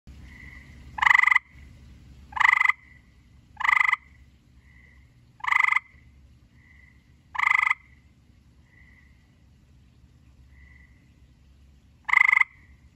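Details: Gray tree frog calling: short, harsh pulsed trills about half a second long, repeated at irregular intervals of one to two seconds, with faint softer trills between them over a quiet low background hum.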